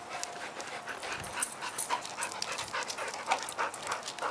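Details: A dog pants while playing ball, giving quick breathy bursts at roughly three per second in an uneven rhythm, with a few faint high tones over a soft background hiss.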